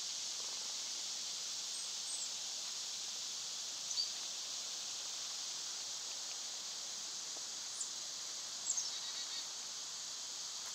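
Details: Summer cicadas droning steadily, a constant high hiss somewhat softer than usual, broken by a few brief thin chirps from other animals around four and nine seconds.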